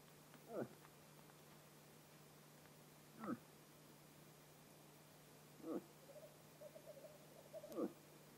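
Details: Autumn rut in Vest-Telemark, Norway: a bull moose utters four brief, low grunts at uneven gaps of two to three seconds, quiet background with a constant low hum.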